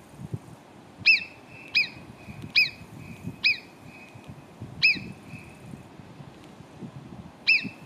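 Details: Marmots near Cogne, below Arpisson, give about eight piercing, downward-slurred whistles at irregular spacing, with a short pause before the final one. A soft low rumble lies underneath.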